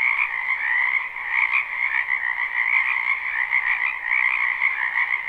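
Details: Spring wetland frogs in a live, unlooped recording: a thick, continuous croaking chorus with many overlapping voices, a steady shimmering drone that never pauses.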